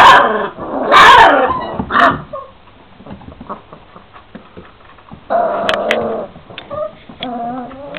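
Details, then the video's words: Šarplaninac puppies, 26 days old, a litter of males and females: loud yapping barks in the first two seconds, then quieter shuffling, and high whining yelps with harmonic wavering tones near the end. "Шарпланинац - штенад ; Sarplaninac - puppies"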